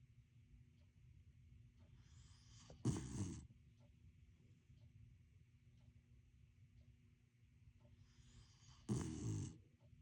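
A corgi snores while asleep, giving a coarse, rattling snort about every six seconds. Between these louder breaths there is a soft, steady low rumble of slow breathing.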